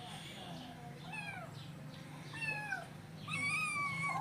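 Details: Hungry kittens waiting for breakfast meow repeatedly: several short falling cries, quickening toward the end with a loud sustained meow, mixed with a person speaking Telugu and low hum.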